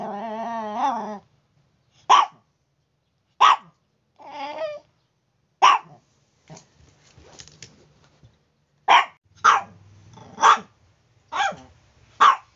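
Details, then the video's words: Noisy Chihuahua in the morning: opens with a long wavering whine, then single sharp barks spaced a second or so apart, another short whine, and a quicker run of barks near the end, with faint low background hum. "Chihuahua Noisy | Morning Alarm Clock"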